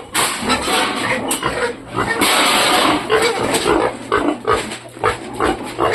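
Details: Domestic sow that refuses to nurse her piglets, heard as broadband harsh squeals and grunts in repeated bursts, with a person speaking nearby.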